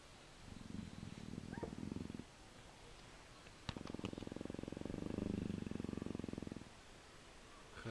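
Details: Persian leopard nuzzling affectionately, giving two long bouts of deep, rapid pulsed purring, the first about two seconds, the second about three, separated by a short pause with faint rustling.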